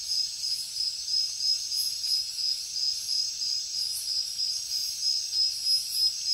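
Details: Crickets chirping at night in the jungle: a high, steady run of rapid pulses repeating about three times a second, over a dense bright hiss of other insects with gently swelling loudness.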